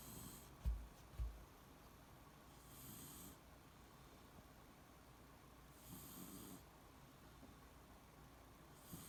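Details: Deeply asleep, the Beagle Shiloh gives soft, airy snores about every three seconds, each a hissing breath over a low rumble. Two dull thumps come near the start.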